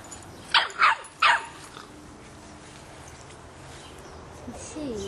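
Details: Boston Terrier puppy, 3½ months old, playing with a soccer ball gives three quick, sharp yaps in a row, followed by a quiet pause and soft human voices at the end.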